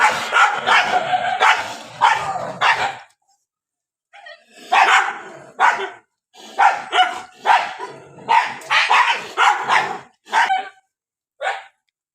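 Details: Dogs fighting and barking during the rainy season: a long harsh snarling burst, a short silence, then a run of sharp separate barks roughly every second, fading toward the end.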